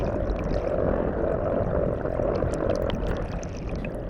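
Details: At sea, a brown croaker (Miichthys miiuy) drums underwater by inflating its swim bladder: a steady, low, rapidly pulsed croaking hum with water noise, from a medium-sized fish. This is courtship song, with males competing by song to attract females.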